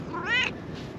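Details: Calico stray cat from a Japanese mountaintop, friendly and following someone, lets out one short meow that rises in pitch, then dips slightly as it fades. Soft outdoor ambience behind.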